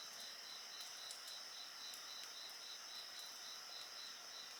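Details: Chorus of insects, a dense high shimmering drone layered over a rapidly pulsed trill repeating several times a second, with light crackling of a bonfire scattered through.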